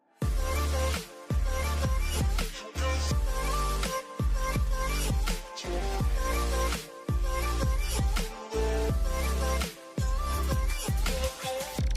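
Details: Loud electronic music with a heavy pulsing bass beat and bright synth tones, with no animal sound audible.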